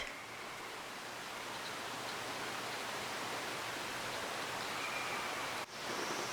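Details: Only a steady broadband rushing noise, like flowing water or static, is heard, with a brief dip near the end and no animal calls.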